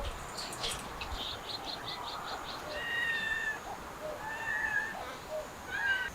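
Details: Mother cat with her kittens, trying to escape through a window: thin, high drawn-out mews with clear overtones come at about three, four and a half and six seconds, after a run of faint short chirpy ticks, over a steady background hiss.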